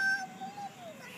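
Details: Spike, a neighbour's cat visiting for a snack, sounds angry while being fed: a drawn-out moaning yowl that holds steady and then slowly sinks in pitch, indoors, followed by a person's soothing voice.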